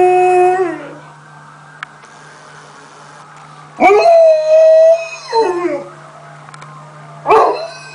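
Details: Indoor pet Alaskan Malamute or Siberian Husky howls amid family talk about who ate the chocolate; a fading high note leads to a long sustained howl with a brief drop, then two shorter wavering yips, over a steady low hum.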